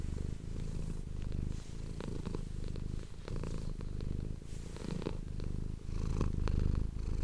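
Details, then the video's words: Close-miked domestic cat purr, a deep continuous rumbling that swells and dips with each breath, roughly one cycle per second, some light scratchy handling noises and a louder stretch near the end. "ASMR cat purring ❤ Manis die aan het spinnen is"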